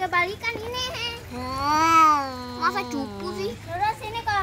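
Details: Domestic cats fighting: a long, drawn-out moaning yowl that rises then slowly sinks, framed by shorter wavering cries before and after.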